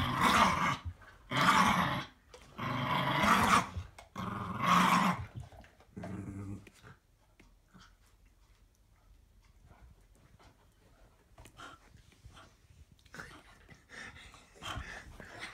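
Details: Playful tug-of-war growls from a small seven-year-old Patterjack, Roxie, against Daisy, a heavier eight-month-old Staffy pup; four strong rasping growl bursts about once a second, then quieter scuffling and soft snarls indoors.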